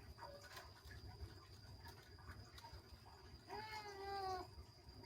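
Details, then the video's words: Kittens at play, one giving a single high meow that bends downward near the end, after quieter faint mews earlier; steady electrical hum and low rumbling background throughout. "ANAK KUCING MEONG MEONG, ANAK KUCING SEDANG BERMAIN"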